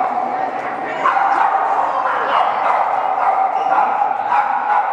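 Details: Several Boston Terriers gathered at a Chicago meetup group event, barking in quick irregular bursts with short yips, set against a dense background of people talking.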